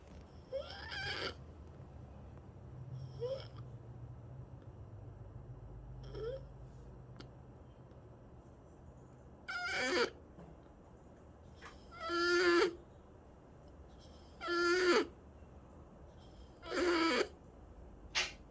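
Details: Snoring cat making high, squeaky, whistling breaths, faint at first, then louder and regular about every two and a half seconds, indoors.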